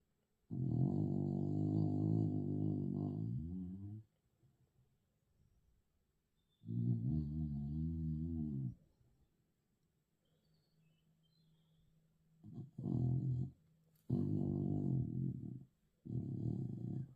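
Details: A sleeping dog snores loudly: deep, rumbling, buzzy breaths that last up to three and a half seconds and are split by quiet pauses. Toward the end the snores come shorter and closer together.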